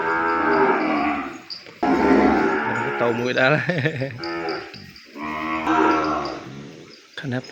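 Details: Separated from its mother and not allowed near her, a calf bawls in its pen: long, strained moos that bend up then down, near-continuous, with a man's voice mixed in at times.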